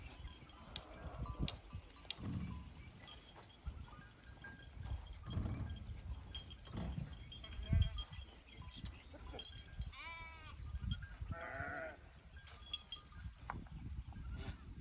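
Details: A flock of sheep (Ovis aries) bleats, wavering, quavering cries over a low rumble of wind and handling noise.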